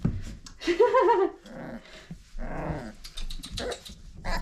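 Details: Old Family Red Nose Pit Bull puppies, five weeks old, giving a short wavering whine near the start, followed by softer scuffling noises and a few faint, broken sounds.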